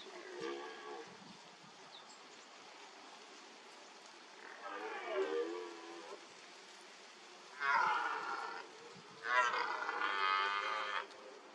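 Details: Red deer stag at a mud wallow during the rut. Four harmonic calls: two moderate ones, then two louder, richer calls of about a second and a half each, rising slightly, over a steady hiss.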